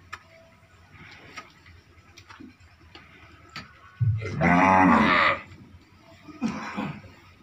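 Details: Pure Red Sindhi cow in her second lactation, recorded during milking, gives one loud, rich moo of about a second after a few quiet knocks and rustles, with a fainter voice following shortly after.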